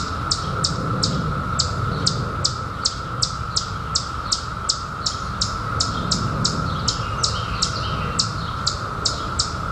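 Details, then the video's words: Periodical cicadas, surfaced in 2021 from a 17-year hiding, produce a constant humming drone; a bird repeats short, high, descending chirps nearly three times a second above it, with low rumbling background noise. "SOUND OF CICADAS 2021"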